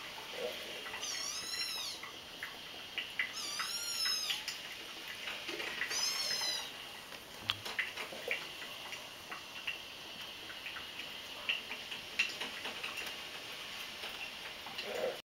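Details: A few weeks old kittens playing, with three high, arching mews in quick sequence early on, each rising then falling, followed by quieter scrabbling, small taps and faint squeaks through the rest.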